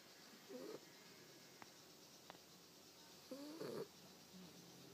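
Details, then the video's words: Jezabelle, an exhausted eight-week-old puppy asleep, makes two tiny squeaky snores about three seconds apart, with faint clicks between them in a quiet room. "Puppy snores!"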